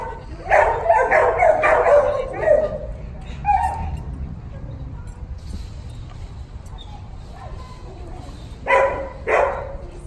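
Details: Puppy barking in a quick burst of high, sharp yaps over the first few seconds, then quiet with low background rumble, before two more short barks near the end.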